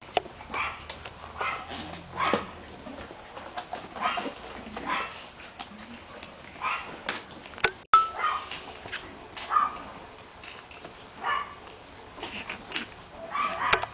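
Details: Shih Tzu female dog; a series of sharp, high yappy barks repeated roughly every second or two over a steady background hiss, with one loud click partway through.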